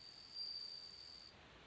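A bell cricket sings a clear, high, ringing trill that holds steady and then stops.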